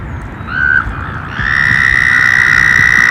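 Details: Frogs and toads emerging as summer approaches: a brief high trill, a short pause, then a loud, steady, sustained trill that holds one pitch to the end, over a low rumbling background.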